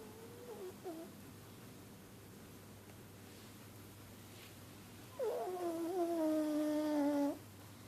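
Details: A pug, said to be unable to breathe properly because of inbreeding, makes a brief wavering whine, then after a pause a longer two-second nasal whine that dips and holds steady, indoors.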